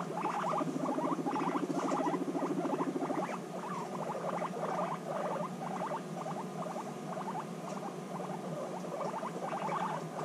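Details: Guinea pigs reunited after six months apart, in an intense bonding encounter: rapid pulsed rumbling bursts, mid-pitched and stuttering, come in tight clusters several times a second throughout, with a low buzzy purr underneath early on.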